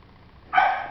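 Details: A Maltese dog at the Miki store gives one sharp, high-pitched bark near the end, bright and harmonic, lasting under half a second after a quiet start.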